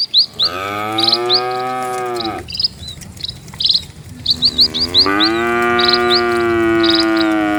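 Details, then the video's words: Cattle in a herd of dozens walking slowly along a quiet rural village road; two long, drawn-out moos with rich harmonics, one at the start and one rising midway, over steady repeated high chirping of birds and light wind. "SUARA SAPI"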